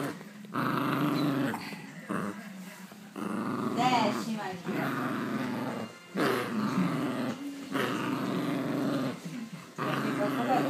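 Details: Angry Havanese dog growling: low rumbling growls in long bursts broken by short pauses, with a few higher yelping notes and human voices mixed in, indoors.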